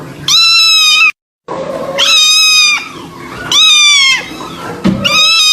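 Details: Sad-sounding meowing from a kitten, each cry a long, bright, pure tone that holds steady then sags slightly, four cries in just over five seconds, with faint lower whimpers between and one abrupt silent break.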